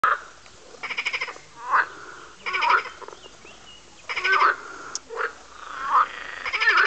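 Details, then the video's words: Several frogs croaking while chasing each other, apparently in mating season; rapid pulsed rattling croaks in bursts of about half a second alternate with short squeaky, twisting calls, several callers overlapping. "Noisey Frogs"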